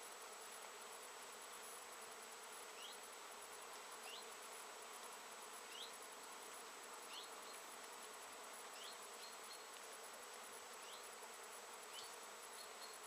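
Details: Many bees busily working flowering Japanese knotweed shrubs in mid-September 2013, late in the season; a continuous massed drone of wings, with brief thin rising chirps from small birds every second or two in the background.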